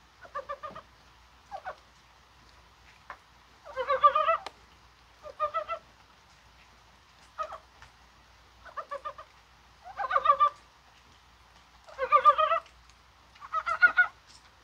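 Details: Korean brown frogs in rain on January 21, an unusually mild day, maybe spawning; repeated short, rattling croaks every second or two, varying from faint to loud, suggesting several callers.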